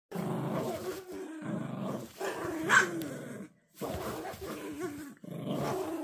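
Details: Toy Poodle puppies growling while playing tug-of-war indoors; low rumbling growls in bursts of about one to two seconds separated by brief silences, with one sharper higher yelp midway.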